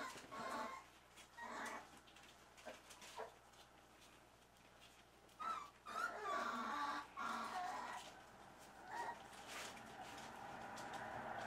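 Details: Young Dachshund puppies, from a litter born 9 December 2012 to mother Lucy, give thin, high whimpers and squeaky whines in short, irregular bursts. Finding: Dachshund.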